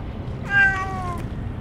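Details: Stray cats, gathered in larger numbers than usual, being fed only Churu treats after their Kalkan food and dishes were forgotten; one loud, drawn-out meow that bends slowly downward, over a low background rumble.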